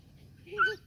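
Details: German Shepherd puppy, imported European stock, playing indoors with people: one short whimpering yelp under a second, rising then wavering, with clear harmonics, over a low background rumble.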